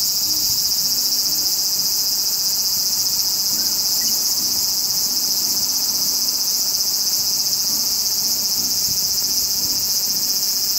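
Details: A Japanese large brown cicada, woodland insect named partly for a call like heated oil spitting, sings a relentless, high, rasping sizzle that never breaks or changes in volume across the whole passage.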